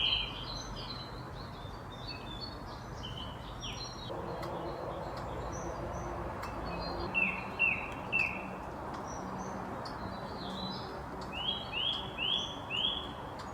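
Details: Squirrel hiccuping after freaking out: two bursts of short, squeaky, downward-sliding notes in quick, evenly spaced runs of three or four, rising above a busy outdoor chorus of chirping birds and steady background hiss.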